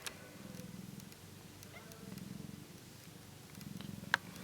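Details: Ten-day-old British Shorthair kittens purr in a low rumble that swells and fades in steady waves.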